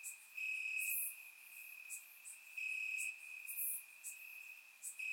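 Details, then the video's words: Crickets in the grass at night, warm summer, Bulgaria; a constant high chirping drone rises in loud stretches roughly every two seconds, accompanied by quick high-pitched clicks. "Cricket Sounds - Crickets Chirping at Night"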